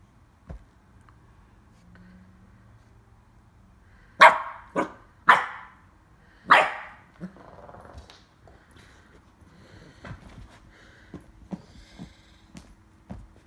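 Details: Female West Highland White Terrier puppy playing with a carrot before eating it: four loud, sharp barks come in quick succession, followed by soft thumps, scrapes and light handling noises.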